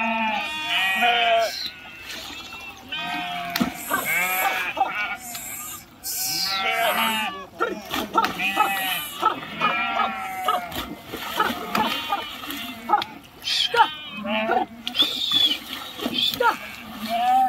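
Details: River crossing by a flock of swimming sheep, many animals bleating at once in wavering, overlapping calls over splashing and clattering noises throughout.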